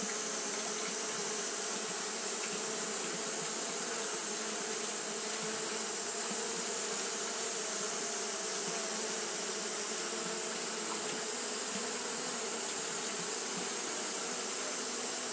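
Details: Many Japanese honey bees fan nonstop in hot weather, their wings producing an even, humming drone with low buzzing tones and a persistent high hiss, steady from start to finish without breaks.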